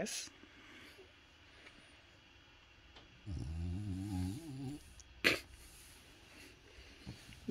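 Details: French Bulldog named Bob whining and grumbling as his owner gets ready to leave the house, a harmonic moaning vocalisation lasting about a second and a half, with a person speaking and sharp handling noises around it.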